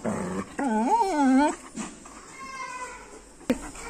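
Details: A stubborn German Shepherd, angry and then sad at not being taken out on an outing, gives one wavering, high whimper of about a second, then a fainter drawn-out whine, in a small room.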